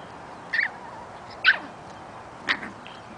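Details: Eight-week-old puppies Breezy, Daisy, Lily, Lenny and Squiggy playing outside; three short, high yips spaced about a second apart, each dropping quickly in pitch, over a steady background hiss.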